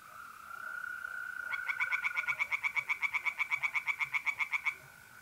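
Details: A mole cricket's smooth, steady trill opens, then a tree frog breaks in with a three-second run of fast, regular grating croaks; recorded by night in a pond in north-east Italy in mid-April.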